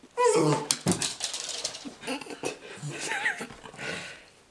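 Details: Dog whimpering indoors, thin wavering whines rising and falling at mid pitch, mixed with brief voices and soft rustling in a small room.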